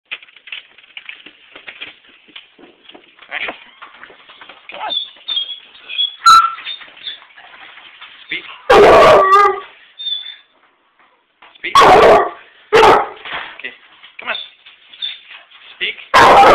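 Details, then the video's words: Basset Hound barking as its owner arrives home: a few loud, broad barks around the middle and end, separated by stretches of quieter whining and speech-like murmur. "Porter barking when I got home"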